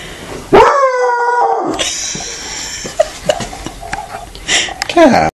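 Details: First howl of a Walker hound, opening with a loud sustained howl of just over a second that sags gently in pitch, then people speaking, with another rising cry at the close.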